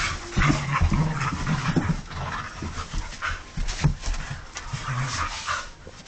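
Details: Husky dog giving short, low, grumbling whines in a quick series over the first two seconds, followed by breathy panting, snuffling and rustling noise with a few brief vocal bursts later on.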